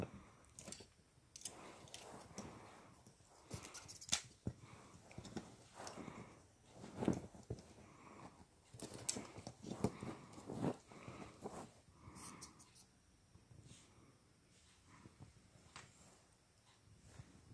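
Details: Feast the Beast, a Boston Terrier, battles a hair clip in a small room, giving repeated short snorts and huffing grunts mixed with chewing and clicking noises, in irregular bouts with brief pauses.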